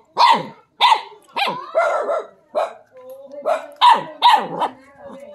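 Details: A dog reacting to a snake, a non-venomous frog snake, with a steady string of about ten sharp, high-pitched barks roughly every half second, some drawn out into whiny yelps.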